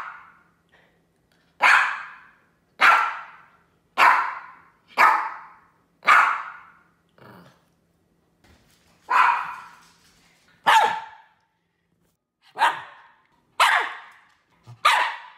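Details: Barking poodle giving a long run of sharp, high barks, about eleven in all, in irregular bursts with short pauses between, plus a few softer yips; no other sounds.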